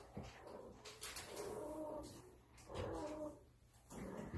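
Russian Blue kittens give drawn-out, wavering meows, two longer calls about a second apart.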